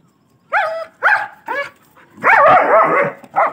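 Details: Dogs fighting, a German Shepherd attacking a Labrador puppy: a run of short, high, wavering yelps and whines, four quick cries followed by a longer, strained, quavering cry and a final yelp.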